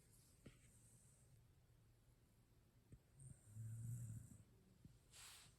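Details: Shiba Inu asleep after a day at the dog run, low rumbling snore near 100 with a longer louder snort-like breath around the middle, quiet hiss in the background.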